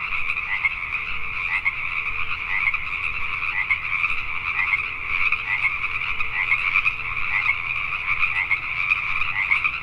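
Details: Many Pacific tree frogs croaking together after dark in Richmond, British Columbia, Canada, forming a thick, constant chorus with slight pulsing swells in loudness and a faint low steady hum beneath.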